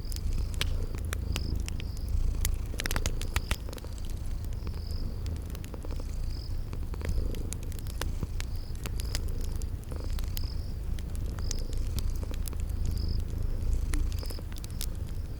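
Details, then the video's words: Purring sleeping cats set against a fireplace and spring garden ambience: a thick, low rumble pulsing slowly with breathing, bursts of crackling fire, and a regular high-pitched chirp sounding roughly once a second throughout. "Cute Sleeping Purring Kitties"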